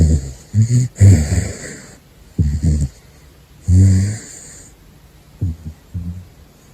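A caracal snores in short, rough, low rumbles, some carrying a faint thin whistle.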